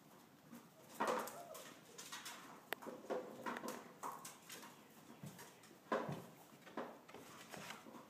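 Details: Border Collie puppies giving short, high squeaky yelps and whimpers, the clearest bursts near the start and again about five seconds later, among soft thumps, knocks and rustling.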